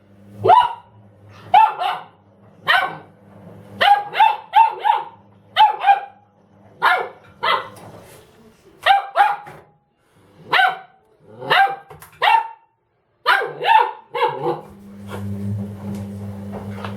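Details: Dobermann named Ramses barking at a washing machine indoors: loud, sharp barks in quick bursts of two or three, about a dozen over the stretch, over the steady low hum of the running machine.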